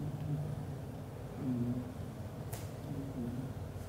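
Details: Leo, a black golden British Shorthair father cat, snoring loudly while asleep hugging the mother cat and kittens; soft nasal tones with a slight rise then fall, repeating about every one and a half seconds over a steady low rumble, with one brief rustle.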